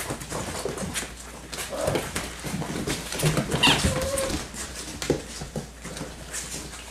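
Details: Six-week-old yellow and black Labrador Retriever puppies, mother a black Labrador, running, growling and playing indoors; scuffling and pattering with short rough growly bursts and a brief thin whine in the middle.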